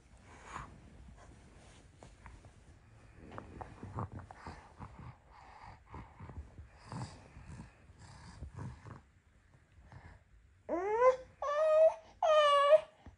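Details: Norwegian Forest Cat, a companion cat that keeps near its owner, breathing softly and shuffling for ten seconds before three loud, clear meows close together, the first sweeping upward, the others held and wavering.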